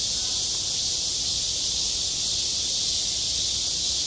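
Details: Summer cicadas on a schoolyard playground make a continuous high, sizzling buzz that stays loud and even throughout, with no other clear sounds.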